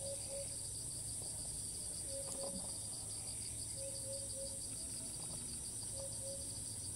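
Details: Thai cicada that starts calling again as soon as it lands after each flight, filmed from a distance: a sustained, high, pulsating buzz in two bands, with a click and short low tonal notes repeated a few times.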